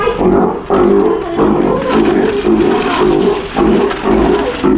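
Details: Nearly one-year-old female Steller sea lion pup in an Ise aquarium, Japan, practising not biting as trainers and other staff handle her; throaty, pulsing growl-roars follow each other closely and almost continuously, with faint people talking.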